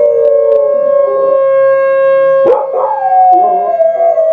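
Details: Dogs Indy and Oz give a loud, steady drawn-out howl on one pitch, interrupted midway by a brief yelp before a second voice glides slowly down.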